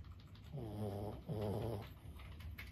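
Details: Lulu, a 15-year-old senior Boston Terrier, snoring in her sleep: two short, rough, buzzing snore breaths close together, each a low rattling drone, with quiet room sound between.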